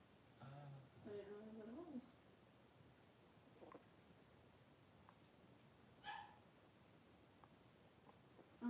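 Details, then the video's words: Three-week-old blenheim Cavalier King Charles Spaniel puppies, a litter of five playing in their pen indoors; drawn-out wavering whines near the start, a brief yip about six seconds in, then a short final squeal in a quiet room. "3-Week-Old Cavalier Puppies Wrestle and Play Live"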